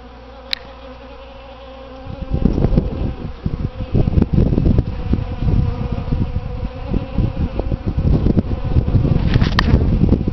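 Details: Numerous bees working potted Easter hyacinths by a front door in spring. After two quiet seconds a dense, low droning buzz starts and stays strong to the end, with wingbeat pulses overlapping and a few faint clicks.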